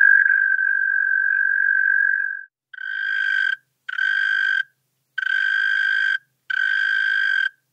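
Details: European mole cricket song from Pabing, Austria, 31 May 2021: a long sustained churr, then four separate bursts of about a second each with short gaps, each burst richer and buzzier than the opening tone.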